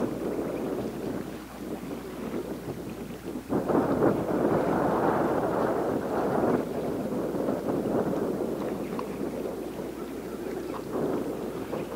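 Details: Wind buffeting the microphone over lapping water and a boat's hum, with no clear animal voice.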